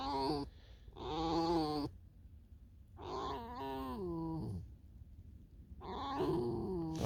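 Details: Fox in snowy weather luring its companion out to a field, making three long, nasal, whining calls with sliding, wavering pitch, the middle call falling away at its end, with short pauses between them.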